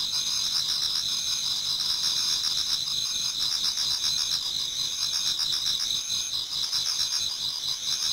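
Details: Chorus of autumn insects in a Japanese garden before dawn: high sustained ringing trills blend with a quick, rhythmic lower chirping that briefly dips near the end, otherwise steady.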